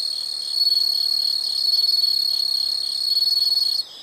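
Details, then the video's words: Shrill, continuous high-pitched insect trilling, made of fast even pulses, steady and loud throughout, then cutting off abruptly just before the end. "the sound of insects"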